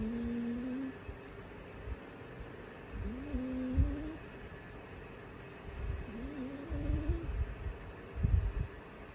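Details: Orange, an orange American Shorthair cat, snoring while asleep indoors: soft low rumbling breaths with a rising whistled tone on each one, roughly every three seconds, in a quiet room.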